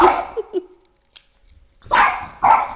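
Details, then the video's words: Boston Terrier, aged three and a half, barking at a flashlight; a loud bark with two soft yelps trailing off, a pause of near silence, then two more sharp barks. "Boston Terrier - Oscar vs Flashlight Psychotic War"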